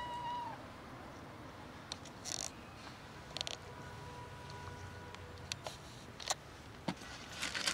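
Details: Four street cats roaming a community are offered real cat food; one short, tonal meow opens the clip, then faint drawn-out mewing lines under scattered clicks and rustling, with a low background hum.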